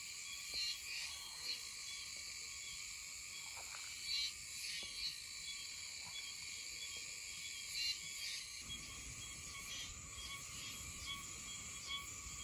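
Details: Meimuna oshimensis cicada calling intermittently in mid-September on Okinawa. Short high buzzy bursts repeat every second or two over a steady background insect drone.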